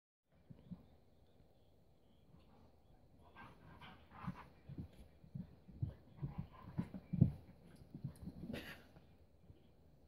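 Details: Two dogs at their first play date, Keiko a 4-year-old Husky and Lucy a 3-month-old Welsh Springer Spaniel puppy: low panting, snuffling and soft growly bursts that grow busier midway, with scuffling bumps.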